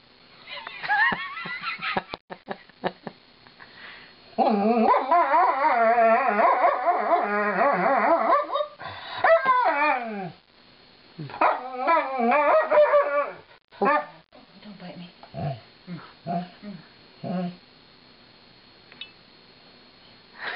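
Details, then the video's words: Alaskan Malamute Lightning, female, grumbles and howls while being brushed: scattered short yips and whines at first, then a loud wavering howled stretch, followed by choppier broken vocal bursts fading to intermittent short grunts. "My Funny Malamute - "Lightning" Sings the Brushin' Me Blues"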